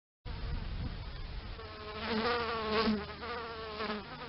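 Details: Bees buzzing: a steady droning hum with rich overtones that swells louder midway, the pitch wavering slightly as insects move near.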